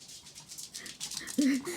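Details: Puppy being coaxed to share a bite of its fish-shaped bungeoppang pastry gives a short, thin, wavering whine near the end, amid faint background noise and a woman's coaxing voice.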